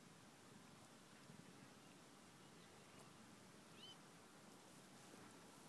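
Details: Cheetah cubs Abby and Apollo relaxing beside their mother Jesse; a soft, low, steadily pulsing purr-like rumble runs throughout, with one brief high whistled chirp near the end.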